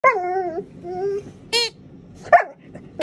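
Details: Alaskan Malamute puppy, female, curious but a little scared of a new squeaky alligator toy, talking: wavering tonal howls sliding downward, then short sharp yips, with soft squeaks between.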